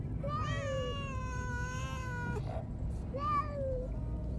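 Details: Pet cats Nero, a black cat, and Teto, a white cat, crying in protest on the way to the vet for castration; a long wavering meow lasting about two seconds, then a shorter rising-falling one, over a steady car rumble.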